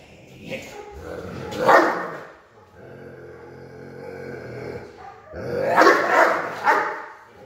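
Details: Doberman showing aggression during protection training: loud, harsh barks in bursts, with a rough growling stretch between them and a second burst of rapid barking at the end.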